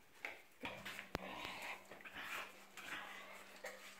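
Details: Adult male Vizsla gives soft, breathy growling rumbles of contentment rather than threat in a quiet room, part of his singing, whining vocal expression of joy when his pack is together, described as pack howling.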